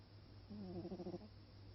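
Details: Sleeping stripey domestic cat snoring: one short, low, buzzy voiced snore lasting under a second, with a steady rippling tone and stacked overtones, set against a faint constant low hum.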